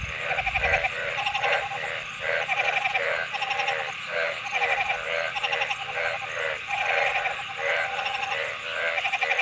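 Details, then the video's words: Chorus of calling frogs: buzzy, pulsed bleats about a second apart, several callers overlapping, with a constant thin high whine in the background. "Frog Sounds"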